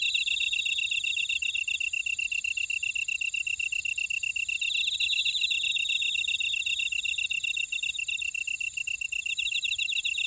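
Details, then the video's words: Grass insects in an Ora-dong buckwheat field, Jeju City, Jeju Island, South Korea. A steady wall of shrill insect trilling holds throughout, with rapidly pulsed chirping swelling at the midpoint and a faint high buzz at times. "제주 메밀밭의 풀벌레 소리 (Sound of a buckwheat field)"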